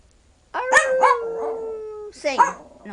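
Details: Nanook, a tiny 12-year-old male Yorkshire Terrier weighing five pounds, singing on cue: a sustained, slightly falling tonal howl preceded by short yelps, then a wavering second howl, with music and a voice urging him on.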